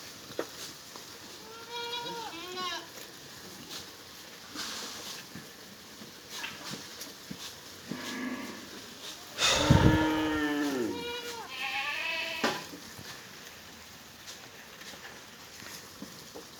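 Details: Black Bengal goats kept on a mother-goat farm in Pangsha, Rajbari District, on a hot sunny day: several separate bleats, a short one early, a loud falling cry midway and another soon after, with rustling and clicks between.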